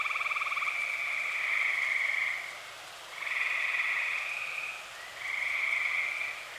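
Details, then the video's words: Night chorus of many tree frogs in Eastern Pennsylvania in early summer, three long buzzy trills following one another with short dips between them, a gentle steady texture and no other sounds. "Dozens of tree frogs sing"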